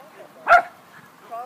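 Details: Pet dog named Ollie during play over a toy, with a person urging it to go get it. One short, sharp bark sounds midway, followed by a faint voice afterwards.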